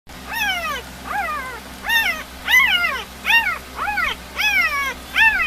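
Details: Three-day-old puppies of a dog named Molly, asleep and dreaming of chasing rabbits: a run of eight high, arched, squeaky whines, each rising then sliding down, about one every 0.7 seconds, with a steady low hum beneath.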